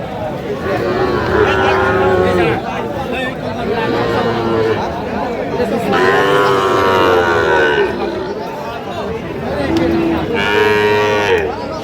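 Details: Sahiwal bull calves at a livestock market in Kushtia, Bangladesh; long bellowing moos with rich harmonics, three main calls rising then sagging in pitch, amid steady chatter of buyers and sellers.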